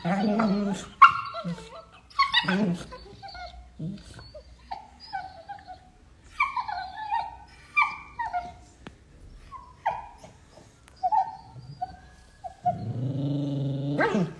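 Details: Beagle puppies playing make short high yips and whimpers in scattered bursts, ending with a lower drawn-out groaning growl.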